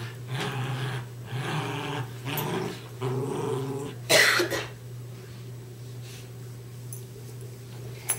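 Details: Two West Highland White Terriers named Darby and Riley growl while playing tug of war indoors, low rumbling bursts between short pauses, with a sharp louder noise near the middle and a person's voice faintly present.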